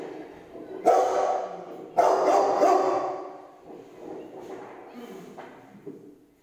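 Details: A Rottweiler watching a lion on TV gives loud, deep barks, two strong, gruff bursts about a second apart, then softer, lower trailing woofs and grumbles that fade, with some background sound mixed in.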